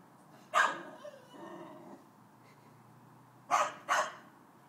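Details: Domestic Chow Chow barking toward the neighbour's dog: one loud bark trailing into a low rumbling growl-like sound, a pause, then a quick pair of sharp barks.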